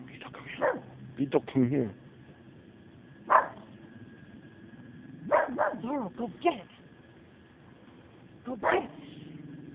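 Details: Domestic dog barking in short, sharp bursts spaced irregularly across several seconds, about six outbursts, while a person speaks encouraging words between them.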